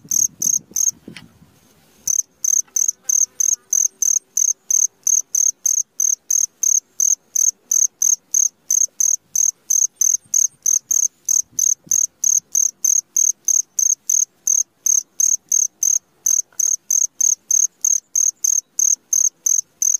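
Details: Cricket calling at midnight: after a brief faint rustle at the start, a steady train of short, very high-pitched chirps follows, roughly three per second, evenly repeated against a quiet background.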